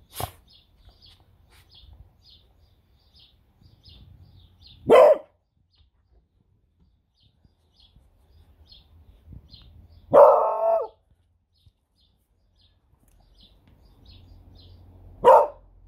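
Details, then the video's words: Pet female beagle barking on command indoors: three loud single barks spaced about five seconds apart, the middle one longer and more drawn out, with quiet low rustling between them. "7 Cute Beagle Barks!"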